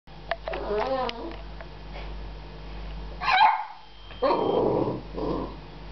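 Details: Jasper, an American Staffordshire Terrier, meeting a cat for the first time and frustrated at wanting to play; a human voice opens, then a sharp bark and a rough, noisy growling bark follow.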